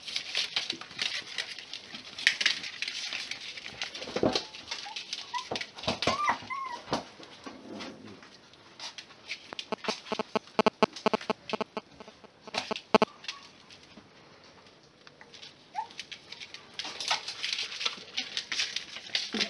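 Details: Six-week-old Miniature Pinscher puppies from litter X, offspring of Homokháti Fürge Delon and Bácskautcai Léda, give short high whimpers and thin rising whines now and then amid constant scratchy pattering and scuffling of little paws indoors.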